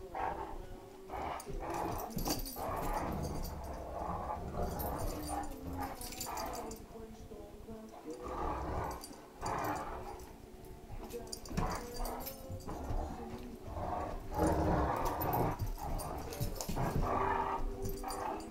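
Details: Great Danes in a playful tug of war over a toy, with a Chihuahua trying to take part; steady deep growling and snorting pulses with brief pauses, over constant scuffling and movement noise.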